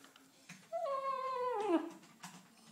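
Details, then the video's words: Muddy female Husky pup kept out of the house, crying; a single quieter, wavering whine that holds steady then bends downward, with faint background noise and small clicks around it. "Husky pup crying cos i wont let the dirty dog in!!!"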